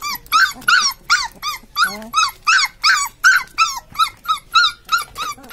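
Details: Several high, arched squeaks from newborn Labrador puppies, repeated roughly three times a second in steady rhythm, each squeak sliding up then down, with no other noticeable sounds.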